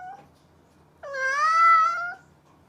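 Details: Domestic cat, described as a mischievous cat, giving a single drawn-out meow lasting about a second, rising then holding steady and tapering off, with a short faint call just before it in a quiet indoor room.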